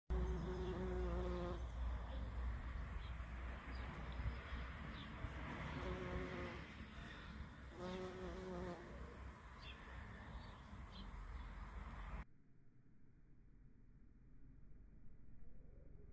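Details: An early bumblebee queen (Bombus pratorum) darts quickly among the branches of flowering barberry near Opočno, Czech Republic, on 1 May 2020, giving low droning flight buzzes that swell and fade.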